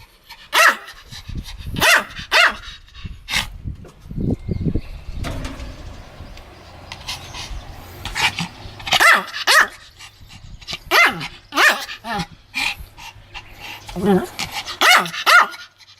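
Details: Pomeranian barking while pretending to bite, recorded 1 May 2015; short sharp barks in irregular bursts, with a person's voice murmuring between them and some low rumbling handling noise.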